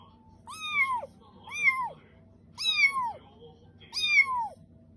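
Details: Newly adopted rescued kitten, perhaps hungry, meows four times in quick succession, each call a clear, high, bending cry rising then dropping away, spaced a little over a second apart over a low steady background hum.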